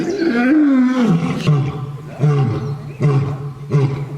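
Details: Lion giving one long, sweeping roar that slides downward, followed by a series of short, deep grunts repeated roughly every three-quarters of a second.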